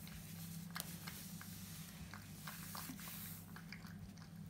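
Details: French Bulldog puppy eating indoors in a small room, close-up ASMR recording: soft wet squishing bites and crunchy chewing clicks repeated irregularly over a steady low hum.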